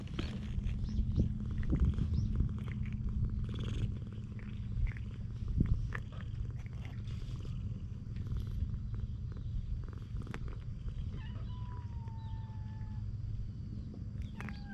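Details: Stray cats on a Japanese cat island, coming up affectionately to be petted, recorded close with a GoPro HERO8: a low, continuous rumbling purr runs throughout, with scattered soft clicks and rustles and a thin whistled tone near the end.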